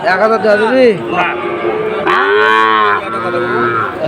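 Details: Sahiwal bull calves at a cattle market in Cumilla, Bangladesh, on 17 August 2024, as a farmer buys them. Two arched, harmonic-rich moos, a short rising-falling call and then a longer, steadier bellow, with market chatter beneath.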